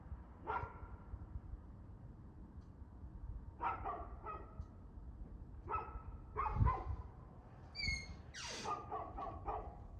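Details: Dog barking, 2/6/2024 at 6:02pm: scattered single and paired barks over ten seconds, a thin high squeal near the end, then a final flurry of rapid barks, with low hum beneath.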